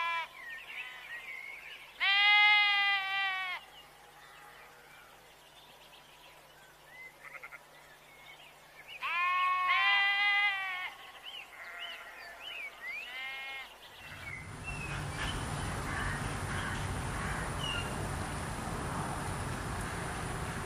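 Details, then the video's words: Goat in a rural village setting among farm animals, giving two long, wavering, nasal bleats about seven seconds apart, with soft bird chirps between them; a steady rushing noise takes over for the last six seconds. "Suara kambing"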